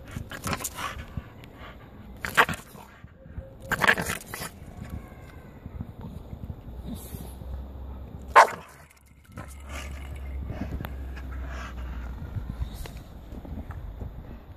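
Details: Staffordshire Bull Terrier attacking a Pokéball toy gives a few short, sharp barks near 2.5, 4 and 8.5 seconds, separated by quieter scuffling and a low steady rumble.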